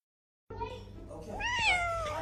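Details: Cat giving a single long meow that rises and then slowly falls, against a steady low hum with faint music, laughter nearby and a person scolding it afterwards.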